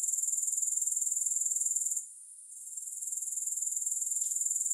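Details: High, buzzy pulsed trilling of grasshoppers, regular and shrill. It dips sharply to near silence for about a second, then builds back to a steady drone, with one faint click near the end.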